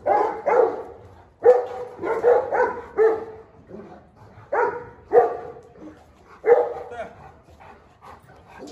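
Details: Two dogs in a furious fight. Loud, separate harsh barks and snarls come in clusters roughly every one to two seconds, with quieter gaps between them.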